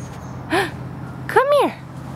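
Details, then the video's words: Airedale Terrier puppy named Green Guy gives two short high whines, each rising and then falling in pitch, about a second apart, over a quiet low hum. "Airedale Puppies"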